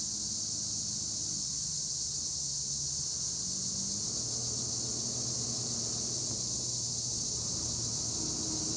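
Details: Insect chorus of Acheta assimilis tree crickets in olive groves near Edremit, Turkey: an unbroken high shrill hiss filling the whole stretch, with faint low humming drones underneath.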